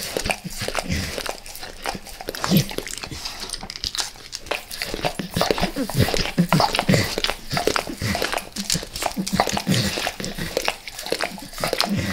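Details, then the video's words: Peanut butter squares being licked by Max, a dog who goes crazy for peanut butter oil; steady, close, sticky lapping and smacking with wet slurps, nearly continuous over twelve seconds in a small room. "Max LIcks Peanut Butter Squares | ASMR DOG LICKING"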